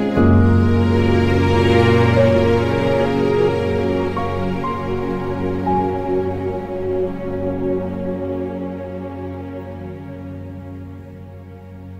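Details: Gentle, slow new-age style music with sustained tones that fade toward the end; no animal sounds.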